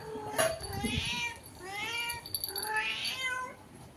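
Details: Cat calling through a window toward a cat outside, giving three moderately faint, drawn-out meows that bend upward then slide down, over a soft noisy background.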